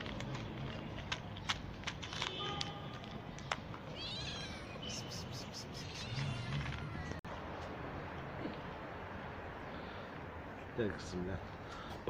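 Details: Mother cat that has just given birth, followed outdoors while being offered food, gives a few short, rising, harmonic meows around the middle, masked by steady traffic-like rumble, a man's voice and clatter.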